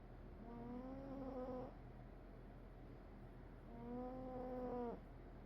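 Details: Cat asleep and snoring, two long, nasal, whistly breath tones, each about one and a half seconds, steady in pitch with a slight dip at the end, separated by a quiet pause and a faint background hum.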